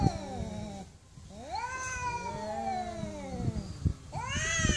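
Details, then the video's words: Angry domestic cat letting out a long, drawn-out meow that rises then slowly falls, followed by the start of another cry; low rumbling noise and knocks fill the background. "MAULLIDOS de GATOS ENOJADOS"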